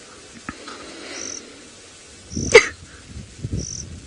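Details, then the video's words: Baboons in Kenya's Maasai Mara on an afternoon sunset safari drive give a harsh, loud bark and a second rougher burst about a second later, over a steady high hum of insects. "Baboons & crying"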